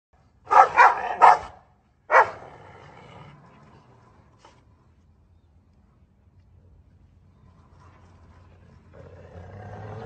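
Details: Two dogs barking at each other through a gate: a quick burst of three loud, rough barks, then one more bark, followed by quieter rustling and low background noise.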